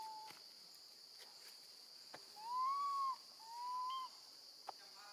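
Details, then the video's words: Two drawn-out whistled cries, the first louder and arching, the second steadier, as a baby female monkey calls for her absent mother beside her grandmother. A few faint clicks and a continuous high hiss are in the background. "Baby monkey screams loudly, calling for her mom when left alone with her gentle grandma"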